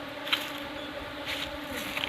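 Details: Honey bees during a honey harvest, giving a faint, steady droning hum with an even overtone above it, held unbroken for two seconds beneath soft rustling and brief clicking handling noises.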